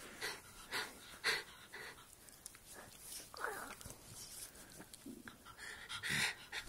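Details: Roxy, a Jug dog, play-fighting at bedtime, panting in quick breathy bursts with wheezy rasping snorts, irregularly spaced, alongside soft rustling.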